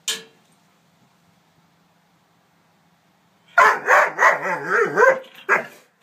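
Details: A young Doberman, nine months old and afraid of a toy horse, stays mostly quiet, then breaks into a quick, warbling string of barks and yelps near the end, closing with one last bark.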